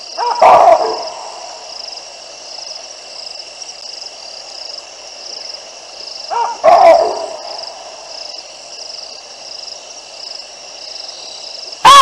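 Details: Baboons at the Olifants River, Africa, seen by a live camera on 9 December 2022 while two lionesses pass below their trees. Sparse, loud barks come about six seconds apart over a steady high-pitched background drone.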